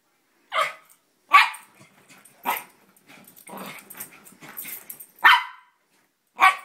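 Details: A small Italian Greyhound/Chihuahua mix dog gives sharp, high-pitched barks, spaced irregularly about a second or more apart.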